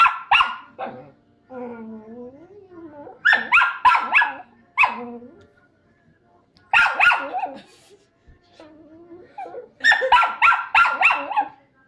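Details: Agitated pet Chihuahua, angry while her owner offers a piece of food, lets out bursts of rapid high yapping barks between drawn-out whiny growls, repeated three times, with faint music.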